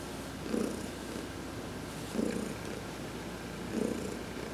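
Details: Purring from Heidi the cat as she gets a massage in the sun; three clear rumbling swells, roughly one and a half seconds apart, over a steady low hum.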